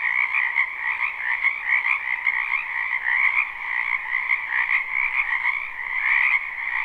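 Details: Frogs croaking in a spring wetland behind a house, recorded live at night for sleep without looping; a dense continuous chorus of many overlapping callers, steady trilling bands with a high and a lower layer, no other sounds.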